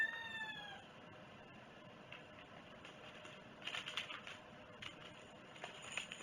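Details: Cat on 11 August 2018 during breakfast, opening with one short meow that falls in pitch, then only faint rustling and tapping noises.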